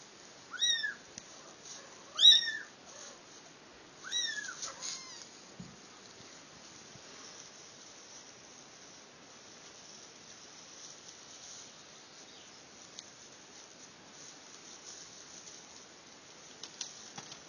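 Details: Domestic cats in a mother-and-kittens compilation, mother carrying her kittens: three short high meows in the first five seconds, then a long quiet stretch of room hiss with faint clicks.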